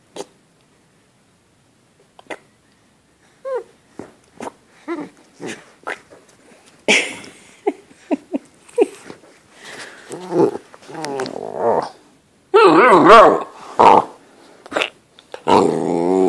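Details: Great Dane puppy, female, eight weeks old, playing indoors with her owner: scattered short grunts and snorts that build into rough, wavering play growls, mixed with sharp clicks, soft knocks and a woman's voice.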